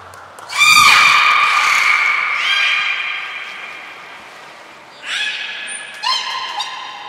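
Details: Beluga at Port of Nagoya Public Aquarium, 14 March 2021, during pool moving and training with Hodoi, Taanya and Mirai; loud harmonic squealing call sliding downward, then softer rising calls, a brief high thin whistle tone, indoor echo.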